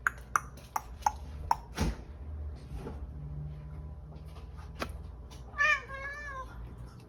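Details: Pet cat begging for breakfast in the morning: several sharp clicks and taps with a low hum, then one drawn-out, wavering meow near the end.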